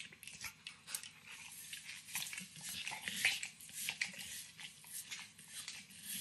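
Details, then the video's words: Max, an older Pit Bull aged nine, chews and licks a treat of overcooked bacon indoors: dense wet smacking and gentle crunching nibbles, growing busier midway, over a soft constant room hum. "Max Licks & Nibbles Bacon | Dog Licking Sounds"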